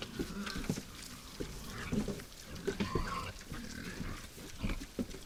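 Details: Steady low grunting and snorting from wild boars feeding at a forest feeder after dark, with short pulses following each other almost continuously.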